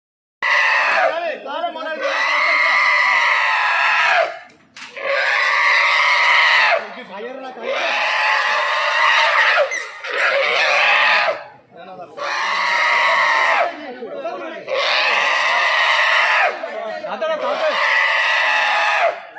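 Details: Wild boar being caught in a cage in a Kerala forest, giving loud, harsh, shrill squeals in sustained bursts of about two seconds, repeated with brief pauses throughout.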